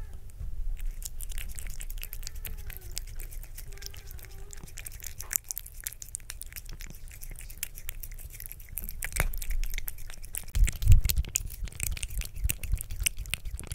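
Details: A 2-year-old female short-legged tortoiseshell Munchkin cat licks yogurt, making quick, wet, irregular clicks and smacks, close up in a quiet room.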